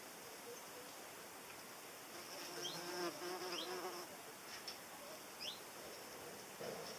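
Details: Paper wasp in flight, likened to a small hornet; a soft wavering wing hum swelling midway, with a few brief high chirps and ticks in the background.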